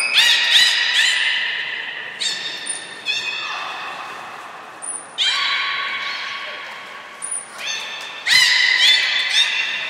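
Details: Belugas Hodoi, Taanya and Mirai at Port of Nagoya Public Aquarium, 14 March 2021, during pool moves and training: loud, rich, buzzy harmonic calls held one to three seconds, broken by sharp pulse bursts and brief thin high whistles in an echoing hall.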